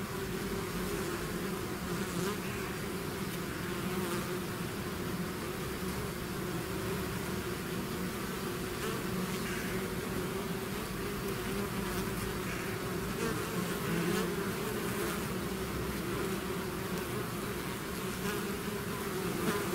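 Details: Steady, thick drone of a bee swarm leaving its hive, a constant low hum overlaid with many wingbeats, no other sounds standing out.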